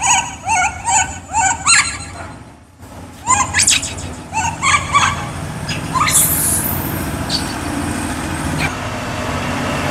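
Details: Hungry for fruit, the baby monkey Kaka gives a fast series of short, sharply rising squeals, repeated roughly twice a second, then a shrill high burst dissolving into steady background noise.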